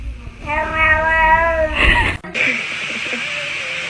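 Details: Domestic cat giving a long, steady, drawn-out meow lasting just over a second, followed by a brief higher strained note, then a burst of broadband hiss-like noise; indoors, with a person's voice nearby.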